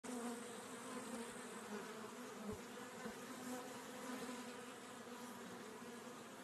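Honey bees give a steady, droning buzz, a low hum with a fainter higher overtone.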